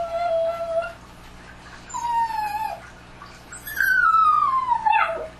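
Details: Dogs at night howling: three tonal howls in turn, the first short and level, the second sliding gently downward, the last starting high and gliding down over about a second, with quiet hiss between.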